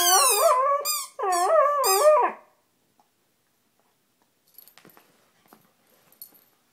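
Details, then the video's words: Siberian Husky named Delta playing with a squeaky dumbbell toy; two loud, drawn-out wavering vocal sounds rich in harmonics fill the first two and a half seconds, followed by near silence with faint scattered clicks and rustles. "Delta Squeaking dumbbell toy"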